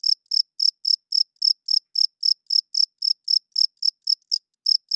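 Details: Cricket chirping loudly at night: bright, high-pitched chirps repeated about three to four times per second, each a short pulsed burst, with one brief break near the end and no other sounds.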